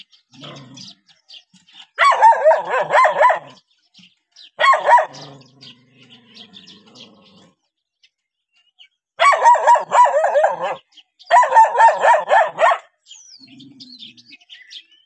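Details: Dogs barking at a stranger: rapid runs of sharp, harsh barks in four bursts, each lasting one to two seconds with quiet gaps between. A faint low hum is heard in the pauses.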